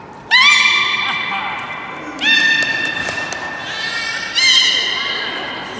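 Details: Captive beluga during an afternoon public training show at Port of Nagoya Public Aquarium on 24 March 2018: three drawn-out, slightly falling tonal squeals, each about a second long, spaced roughly two seconds apart over a hollow indoor hiss.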